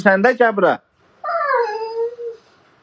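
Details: Husky giving a short choppy burst of yelps, then after a pause a single drawn-out, smoothly falling howl that fades away, recorded indoors in a small room.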